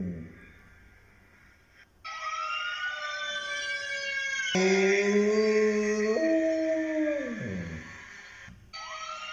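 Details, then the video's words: Dog howling in imitation of a fire truck siren, long sustained wavering howls that hold steady and then slide downward, with faint siren-like tones in the background. "A Dog Barking Like A Fire Truck Siren"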